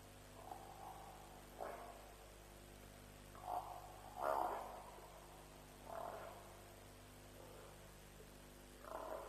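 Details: At night near a lions' kill at Djuma, around 3 a.m. on 07/03/07, African buffalo give rough, breathy grunts, some brief and some drawn out, six or seven scattered irregularly over a continuous low electrical hum.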